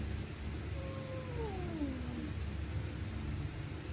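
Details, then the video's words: Stray cats screaming at night while fighting: a quieter, descending moan-like wail drifts down over about two seconds against steady low background noise. "Stray Cats Screaming At Night||Angry Cats Growling Sound|Cats Fighting Sound"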